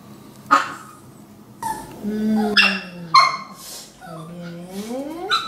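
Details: Maltese dogs kept as family pets indoors, including young female Blue, giving rising and falling whiny yips and drawn-out whimpers mixed with a person's speech in a small room.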